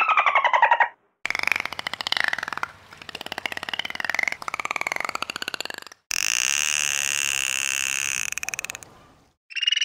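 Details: Dolphin chatter: dense trains of rapid clicking pulses with wavering tonal contours, cut by short silences, then a long steady layered tone that fades before a final brief burst.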